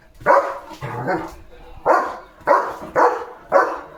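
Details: Leo, a German Shepherd, guards a village farm in the morning, barking at cattle, vehicles and dogs: five or six loud, sharp barks in an uneven series, with a low human voice between them.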